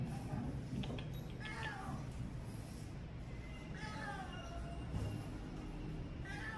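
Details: Injured cat hit by a vehicle and left at the roadside, jaw broken, rescued and taken through heavy rain to Klinik Amore 5 BSD before New Year; several drawn-out, wavering meows over a low rumble, with faint music and voices.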